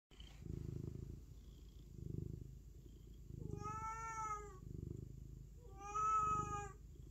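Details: Domestic cat giving two drawn-out harmonic meows, each about a second long, over a steady low rhythmic purr that pulses throughout.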